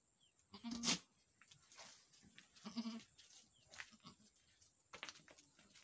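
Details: Boer goats on a Nepalese farm after a doe's first successful kidding, a male kid; two short, faint nasal bleats early on, then softer calls over steady background hiss.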